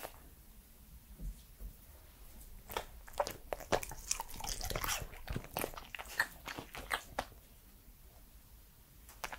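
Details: Edmundo, a three-year-old male Pembroke Welsh Corgi, eating indoors for close-miked ASMR: dense bursts of crisp crunching and wet mouth clicks, busiest through the middle seconds, then easing off toward the end.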